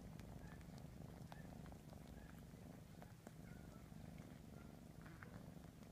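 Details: Kitten Ralph, aged three and a half months, washing his siblings while purring in a continuous low rumble, with faint wet licking clicks and small taps over the top.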